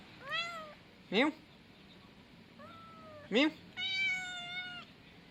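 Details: Male baby cat mewing repeatedly: a short falling meow, a brief bent one, then a long steady drawn-out meow near the end, with a human voice breaking in twice between the calls.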